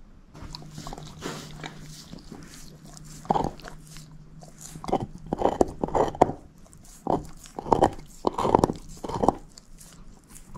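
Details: Shepherd mix dog Moose, a female, works on a bone. A quiet stretch with a low steady hum leads into sharp crunches and grinding bites that grow denser toward the end, with no voices.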